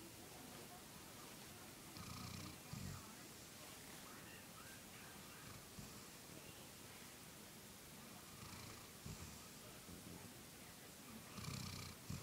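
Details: Golden retriever Samantha asleep, her breathing heard as soft, low, rasping snores at irregular intervals, quieter and less distinct than usual against steady indoor hiss.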